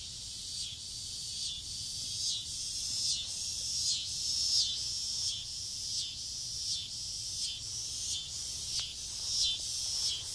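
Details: Cicadas calling from trees in a front yard on a summer evening just before dusk, a loud buzzy high-pitched drone pulsing in regular surges about every second, steady throughout.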